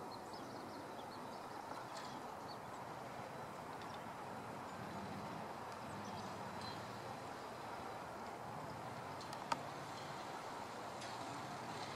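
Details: Quiet outdoor background hiss with a few faint ticks and one sharp click, with no clear animal call heard.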